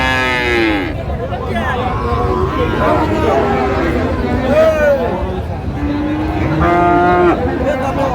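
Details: Cattle market at Raniganj, Dinajpur, Bangladesh, with Friesian and crossbred bull calves for sale. Short, falling moos start and end the sequence, with a longer low bellow between them, all against a background of talking people.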